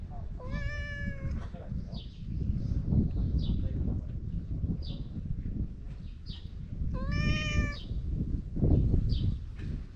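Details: Chatty stray cat meowing while petted outdoors: a long meow near the start and another around seven seconds, with softer short chirps and rustling between them over constant low background rumble.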